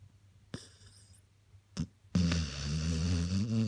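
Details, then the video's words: Daniel, a sleeping spaniel, snores: two short soft snuffles, then a long, low, droning snore with a steady buzzing tone that lasts over a second and a half. "Daniel the snoring spaniel"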